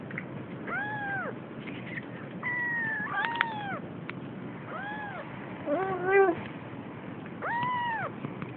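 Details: Siamese kitten, almost three weeks old, she explores and seems scared; scattered short meows, arched and harmonic, plus one flat drawn-out cry and a quick stuttering trill mid-clip, separated by quiet stretches with low background noise.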